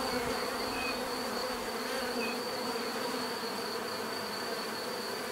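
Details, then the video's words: Bees buzzing steadily in a thick, continuous hum with several overlapping tones, a faint high-pitched line running beneath, and no other clear sounds. "bees therapy relaxing natural buzzing sound"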